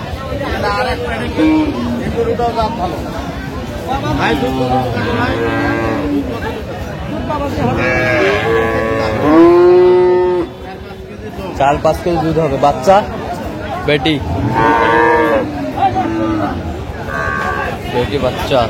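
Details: Dairy cows and calves of an improved breed at Aftabganj cattle market in Dinajpur, Bangladesh, on 17 June 2025: several drawn-out, rising-then-falling moos overlap, one loud long low call near the middle, over steady market chatter and voices.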